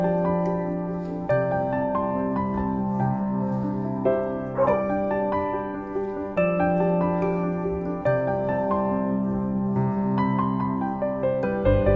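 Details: Steady electric piano music plays throughout, with no animal voices audible.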